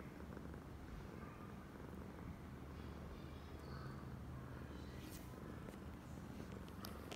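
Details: Deep, steady purring from Oyen, a female cat acting very affectionate; the rhythmic low rumble is constant, with a few sharp clicks toward the end.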